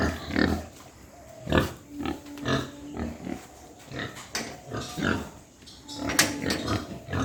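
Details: White pigs on a farm in Hooghly district, India, in the morning give repeated coarse grunts and snorts in uneven bursts, some sharper clicks and knocks of pen movement between.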